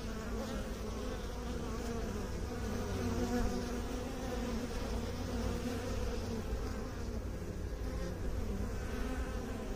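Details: Bees producing a constant low buzzing hum with gently wavering higher tones, the sound even and unbroken from start to finish.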